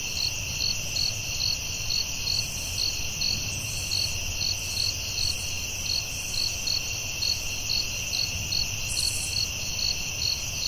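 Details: Crickets sing through the forest night, producing a sustained two-tone high buzz punctuated by rhythmic chirps more than twice per second, with a quiet low-frequency murmur beneath.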